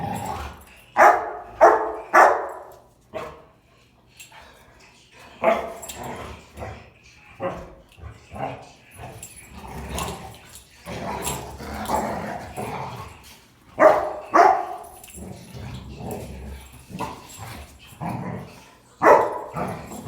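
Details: Three German Rottweilers, a male and his two sisters, playing and wrestling: bursts of gruff barks, yips and rumbling growls come irregularly in clusters, with brief quiet gaps between bouts and faint human voices.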